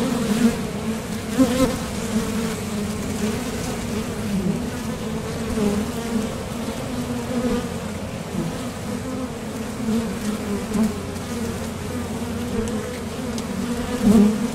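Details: Honeybees buzzing at the entrance of a Top Bar Hive as they leave for and return from the field in search of nectar; a dense, steady drone with strong low bands, swelling briefly as individual bees pass close.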